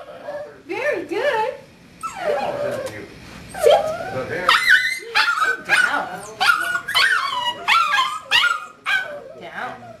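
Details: A seven-week-old puppy whimpers and yips in short, wavering whines that swoop up and down, then quicker sharp yelps about once a second, with a person talking over them.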